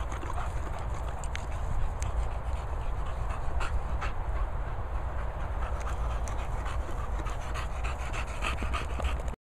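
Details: Dog panting, one of a pair made up of English Bulldog Moll the Doll and Beagle Henry: fast, steady rhythmic breaths fill the whole stretch, with broadband huffing and a few soft clicks, no speech over it.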